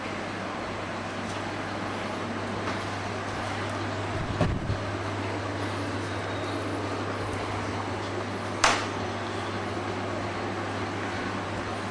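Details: Steady low traffic rumble with a constant hum and a few brief knocks, no animal voice heard.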